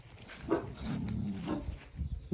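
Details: Pet puppy giving low, rough growls in short bursts of rumbling harmonics, rising and fading over about two seconds, with faint background noise.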